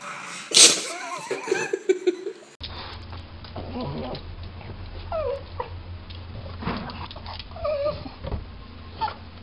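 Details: Pug among a set of funny pug home clips, giving a sharp loud yelp, then several wavering, bending whines and yips in a mid pitch, spread over a few seconds above a steady low hum.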